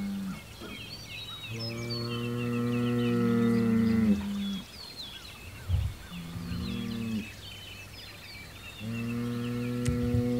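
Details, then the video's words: Hereford bull Homebrew trades bellows with rival bulls across the road, a weekly standoff, June 17, 2023. Repeated low, resonant bellows of two to three seconds, separated by short pauses and a few thuds. Birds chirp steadily behind. "Hereford Bull Homebrew Has Problems With The Neighbors"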